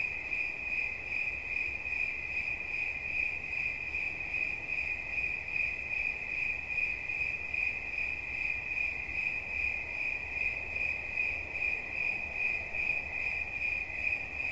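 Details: A single cricket keeps up a continuous piercing chirp, a bright narrow tone pulsing quickly and evenly throughout, with a faint low rumble underneath.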